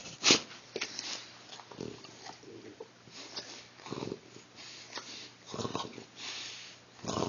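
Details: Aging female Shar Pei Cheyenne, waking indoors when her owner arrives home, gives short raspy snorts and snuffles in irregular bursts, one sharp loud puff near the start, followed by quieter breathy sniffing sounds.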